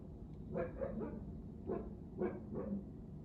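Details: Juno the Siberian Husky, a dog rarely heard to bark, gives a few soft, muffled barks in quick pairs over a low background rumble.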